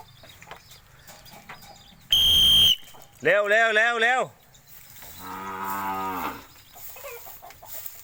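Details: Cattle being trained to come to the sound of a whistle: a short shrill whistle blast, then two drawn-out moos, the first louder with a rising-falling shape, the second lower and longer, over faint background noise.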